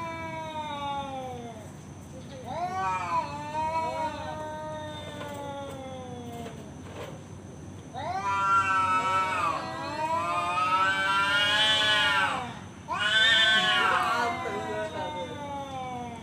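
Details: Male cat yowling to challenge another cat to a fight: long wavering harmonic howls rising and falling, several drawn-out cries building louder toward the end, with people talking quietly in the background.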